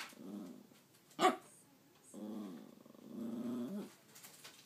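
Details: Talking dog in a small room gives a brief howl-like moan, a sharp yip, then two longer modulated groaning 'talking' sounds with rising and falling pitch.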